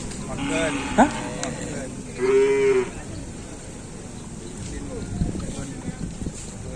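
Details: Bulls training for the kerapan sapi race at the Asemanis field in Pamekasan; a short, level moo of under a second among lively crowd noise, voices and sharp knocks.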